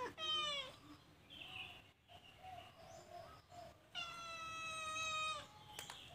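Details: Calico cat in a cage while stealing food, uttering a short falling meow, a pause with faint murmurs, then a long, steady, harmonic-rich meow about 1.5 seconds long.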